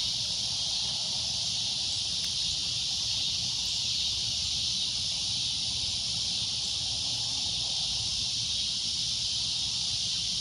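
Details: Shrill, high cicada drone holding steady and continuous throughout, with a fainter low background rumble beneath.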